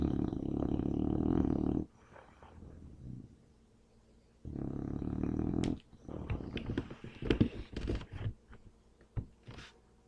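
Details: Sleeping English Bulldog, dead to the world: two rough, rumbling snores are followed by a stretch of clicks, shuffles and small bumping noises.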